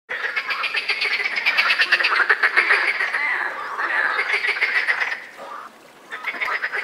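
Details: European frogs croaking in the mating season: a dense chorus of rapid, rattling pulsed croaks overlapping continuously, several callers at once, with a brief lull near the end before calling resumes.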